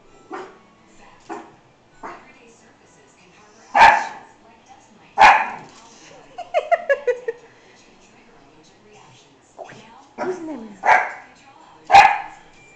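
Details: Excited American Hairless Terrier puppy barking at the mirror reflection of its owner: soft yips building to loud sharp barks, a burst of rapid rising-falling whines in the middle, then more barks and a whimper.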